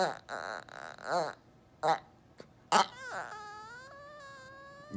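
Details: An ornery Chihuahua throwing a tantrum, demanding to be lifted onto a chair instead of jumping up himself: rising and falling yelping whines, then a long drawn-out wavering moan with rich harmonics.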